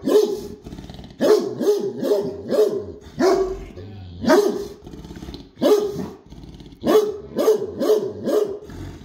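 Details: ['Great Dane barking in deep, booming bursts, often two to four barks run together, with short pauses between groups over about nine seconds.']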